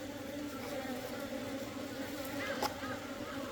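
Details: Hive entrance at a beekeeper's apiary, 17 September 2023, with Asian honey bees of small and larger size arriving; an even, unbroken humming drone at a fixed low pitch fills the clip, with soft background hiss.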